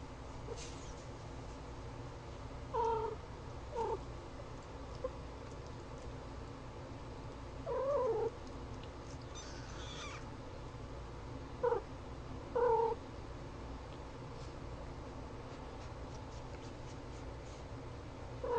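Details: Kittens giving short, thin meows, about five brief calls scattered across the stretch, some in quick pairs, over a steady low hum.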